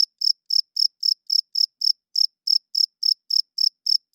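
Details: Cricket chirping after dark, a male rubbing its wings to draw females and claim territory. Bright, high pulses are repeated about fourteen times in four seconds with a slight hitch partway through. No other sounds are heard.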